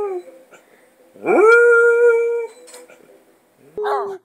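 A Basset Hound gives a long, steady howl that swoops up, holds level, then a shorter one follows.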